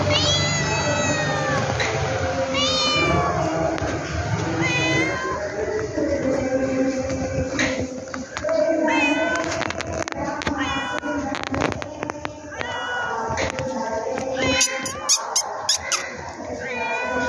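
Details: Cat producing many short, upward-curving meows in quick succession, mixed with clicking and tapping sounds that grow frequent toward the end.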